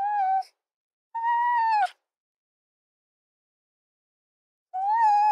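A fox gives three drawn-out, tonal calls, each clear and slightly wavering, separated by pauses.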